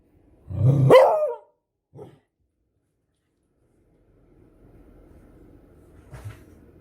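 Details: Beagle giving one strong, rough bark followed by a short faint yelp, then quiet with low background rumble and a weak final sound.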